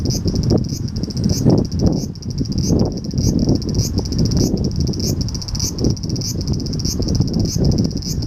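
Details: Cicada in Japan in July, summer: a high buzzing band pulsing roughly twice a second, each pulse swelling briefly, over heavy low rumbling noise throughout.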